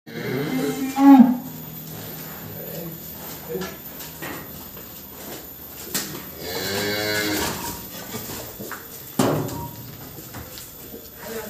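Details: Cattle at a smallholder farm in Grabag, Magelang, Indonesia, during a weight check. Around six seconds in there is a single drawn-out, low, harmonic moo. It is preceded by a short loud knock and scattered clatter, with faint background noise throughout.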